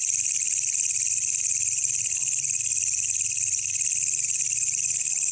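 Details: Night recording of a wild katydid, locally walang kecek, used to tutor songbirds: constant high, sizzling buzz at even volume, over a faint low hum.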